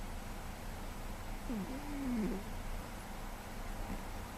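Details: GhostCat, a male pet cat who sleeps very heavily, snores in May 2013 at less than full volume; one drawn-out whistling breath sweeps up then levels off mid-clip above a dull continuous drone.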